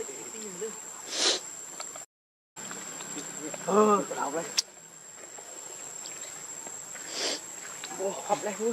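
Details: Baby monkey Leo crying to beg its mother for milk while hungry; short arched, harmonic wailing cries burst out near the middle and again at the end, over a steady high insect hiss and faint rustling.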